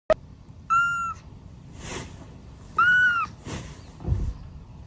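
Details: Kitten giving two short, clear, tonal mews about two seconds apart, each steady then slightly falling, with a sharp click at the start and soft rustling and bumps between calls.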